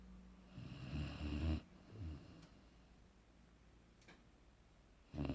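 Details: Sleeping Boerboel Aaron gives one drawn-out, low, rumbling snore, then a short softer breath, a long quiet pause, and the start of another deep snore at the end.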